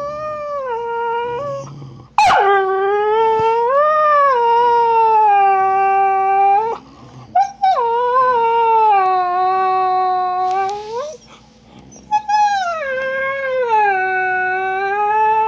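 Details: Snow, a female husky, complains after Trixie, an Australian Cattle Dog, stole her bone. Long, loud, mournful howls slide up and then sag down, with brief breaks and short yelping rises between the drawn-out notes.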